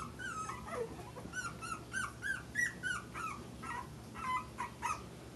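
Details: Puppies four weeks old at play, giving repeated high whimpering squeals and yips, each short and slurred downward, coming in a steady run of small bursts.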